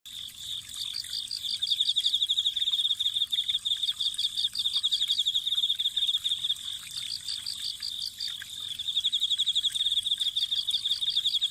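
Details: Autumn insects singing by a spring of welling water; a high, steady rapid trill with bursts of quicker pulsed chirps layered above it, rising and falling in loudness.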